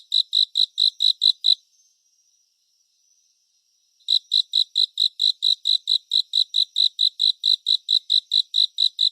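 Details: Cricket in a 3D surround sleep and relaxation soundscape. A short burst of shrill, regularly spaced chirps gives way to a silent gap of about two and a half seconds before the steady pulsing picks up again and continues.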